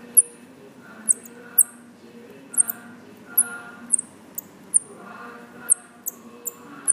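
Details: Baby Himalayan striped squirrels, found on the floor outside a house in Lampang, Thailand, at feeding time on their second day in care. They give sharp, very high squeaks in irregular bursts, about thirteen in seven seconds, over a faint low background murmur.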